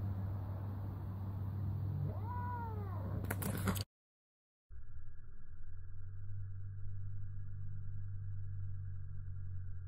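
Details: A male Bengal cat at a doorstep lets out a drawn, wavering yowl that rises and falls while squaring off with a local tomcat to defend his sister.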